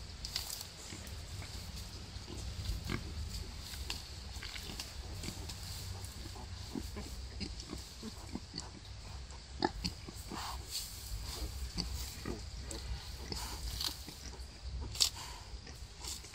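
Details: Wild boar sow giving birth to five piglets: low, soft grunting rumbles beneath scattered rustling clicks and brief sharp snaps, with a steady faint hiss throughout.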